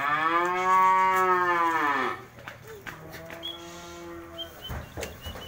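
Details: A cow in a 2020 cattle sale bellows a loud, long moo of about two seconds, rising slightly then sagging. A second, softer and lower moo follows, while distant chirps and light background chatter continue.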